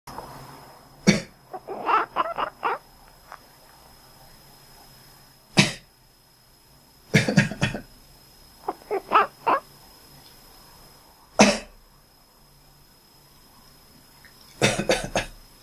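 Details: Pet cat answering its owner's coughs with short quacking calls: loud broadband coughs sound at intervals, each followed by a rapid burst of three to five clipped, nasal chirps; quiet room hum between.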